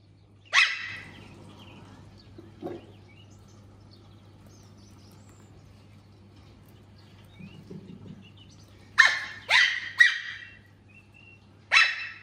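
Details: Puppy Puffyk barking at a laser pointer: one sharp yap at the start, a soft one later, then a rapid cluster of three high barks near nine seconds and a final one at the end, separated by quiet stretches.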